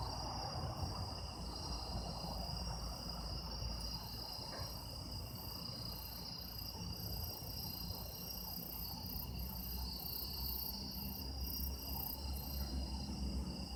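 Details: Autumn insects calling on an autumn night in Japan: a dense, steady chorus of high, continuous trilling and ringing, with several unbroken pitch bands over a low background hiss.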